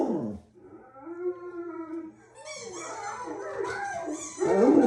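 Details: Pet dog howling: an opening yelp drops into a smooth sustained arching howl, followed by rougher, noisier wavering vocalising and a loud final yelp.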